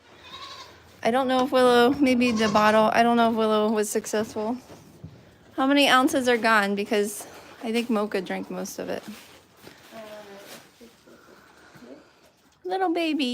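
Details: Goat at The Willful Goat Farm & Home bleating indoors: a long, quavering, wavering bleat lasting about three seconds, then several shorter bleats in bursts, with people talking throughout.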